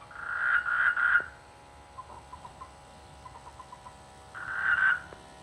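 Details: Frogs in rice fields during the rainy season near a village, a quiet peaceful setting: two bursts of dense, rapid rattling croaks at the start and end, with soft faint clicking notes between them and steady background hum.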